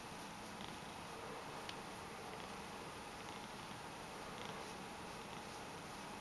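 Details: Ragdoll cat Mojio purrs contentedly as he is petted in a small room, the soft, even rumble holding unbroken for several seconds with only light incidental rustles.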